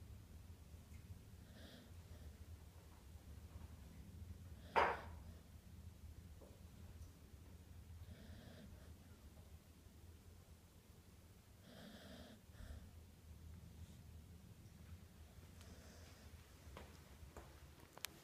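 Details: Jeff, a pet dog, snoring while asleep indoors: soft rasping breaths recurring roughly every three to four seconds, with one sharper snort near five seconds, in a quiet small room.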